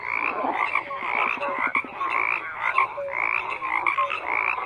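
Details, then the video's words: A thick chorus of croaking frogs, steady overlapping rasping calls with a short run of rapid clicking pulses and a few clear tonal notes, continuous throughout. "FROGS CROAKING"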